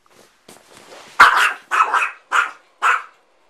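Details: A dog afraid of an air bed barks: after faint scuffling, four loud, harsh barks come in quick succession roughly half a second apart.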